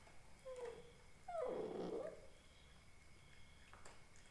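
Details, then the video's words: Indian Spitz puppy crying: a faint thin whine near half a second, then a louder falling, wavering cry lasting about a second, over quiet indoor background hum. "indian Spitz puppy barking|| dog videos|| puppies crying"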